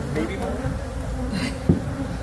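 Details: Swarm of about 30,000 bees lodged under a shed floor during a rescue, giving a steady low droning hum throughout, with a brief thud near the end and faint human voices nearby.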